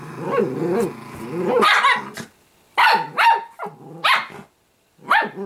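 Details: Pet Italian greyhound puppy called Sparkle growling in low wavering rumbles, then breaking into several loud, rough barks separated by short pauses.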